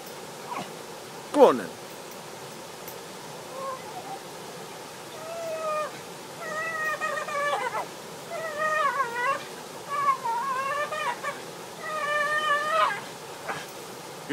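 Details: A female Bull Terrier hanging on a rope swing, which she loves, gives a run of high, drawn-out whines that bend up and down while a woman praises her.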